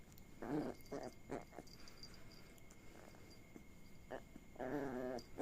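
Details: Puppy, female, indoors, being teased and tickled with blown kisses on her tummy, gives short harmonic growly whines in bursts, a few close together then a longer one near the end, with faint background noise.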